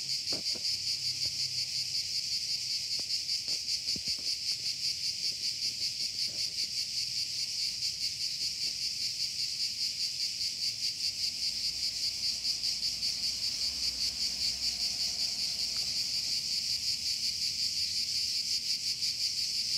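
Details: Cicadas buzzing: a steady, hissing high-pitched drone with fast rhythmic pulsing throughout, a few faint clicks and low rumbles underneath.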